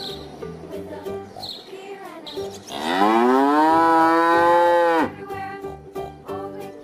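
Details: A cow gives one strong, drawn-out moo lasting about two seconds. It rises at the start, then holds a steady, rich tone. Soft, bouncy background music plays before and after the call.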